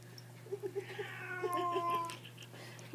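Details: Female pet cat with brain freeze from too much ice cream in her mouth: a few quick clicking pulses, then a drawn-out, wavering, nasal cry of about a second, with a woman speaking before and after.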